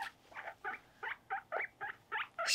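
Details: Pet guinea pig named Mopuko, being brushed and having its nails clipped, gives a quick series of about nine short, chirpy squeaks, evenly spaced with brief pauses between them, in a quiet room.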